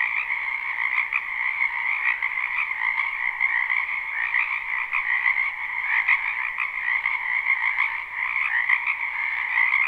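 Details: Live, unlooped night ambience of numerous spring wetland frogs: an even, buzzing chorus of fast-pulsed croaks stacked in two pitches, individual callers briefly standing out before merging back into the mass.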